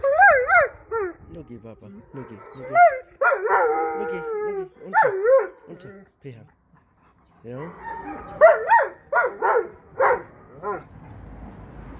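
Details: Several black East European Shepherds howl together after hearing police and emergency vehicle sirens, with overlapping wavering, rising and falling howls in bursts, a short pause mid-way, then more layered howling.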